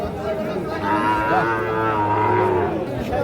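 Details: Cattle at Ambari cattle market in Parbatipur, Dinajpur, Bangladesh, where Sahiwal bull calves are on sale: one drawn-out low moo lasting about two seconds, steady then fading, over a background of market chatter and people's voices.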